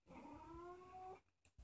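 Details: Young orange female domestic cat, about two years old, filmed at home at night: a quiet, wavering meow lasting about a second, followed by two faint clicks in a hushed room.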